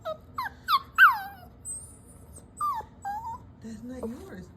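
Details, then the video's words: Dog whimpering in apparent guilt over taken socks; several short, sliding whines come in quick succession, then scattered softer whimpers, while a woman's voice scolds nearby. "The sounds of guilt"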